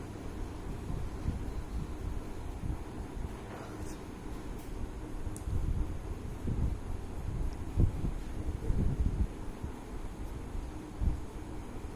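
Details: Muffled low-frequency bumps and rustling with a few faint clicks, no animal call present.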